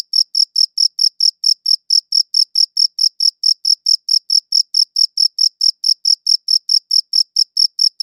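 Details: Crickets chirping, captured on a dedicated audio recorder: clean, steady high-pitched chirps repeated about four times a second, each a short bright pulse with a fainter higher overtone, against a silent background.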